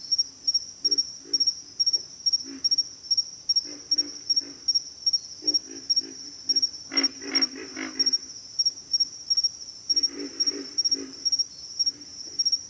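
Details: Several pig frogs grunting in a rough, low chorus of repeated short snorts that cluster thickly in the second half, over a constant shrill pulsing insect drone.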